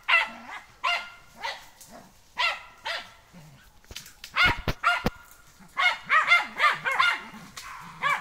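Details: German hunting terrier on a wild boar training day, giving sharp, high barks in bursts about every half second to one second, with a few loud clicks or knocks in the middle.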